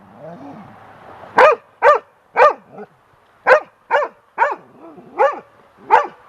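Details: Young golden retriever on a deck, frightened of and attacking a large bird feather blowing in the wind, gives sharp, loud barks after a soft lead-in, irregularly spaced with short gaps, some lower whines between.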